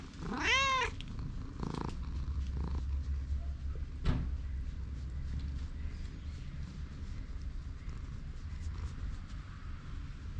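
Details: Single sharp rising-and-falling meow from a stray cat, recorded on a GoPro while being followed, then a couple of faint thumps and steady low background hum for the rest of the stretch.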